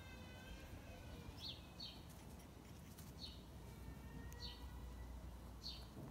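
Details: Peppermint, a pet guinea pig, says hi with short, high squeaks that swoop downward, five of them spaced roughly a second apart, over a steady low room hum.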